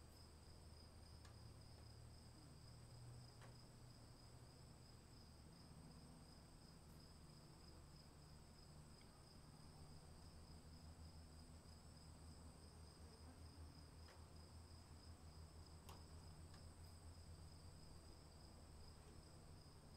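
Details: Rain falls while crickets sustain a constant, piercing two-note trill that never pauses; scattered faint ticks and drips punctuate the soft rain hiss above a deep rumbling background.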